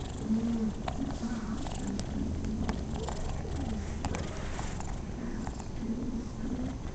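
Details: Pet cat purring contentedly while being patted: a continuous low rumble with a faint, wavering hum just above it and scattered light ticks and rustles throughout.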